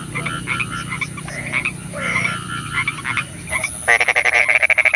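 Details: Frogs croak at night in the rain, a chorus of rapid, rattling pulses and nasal notes with steady background hiss.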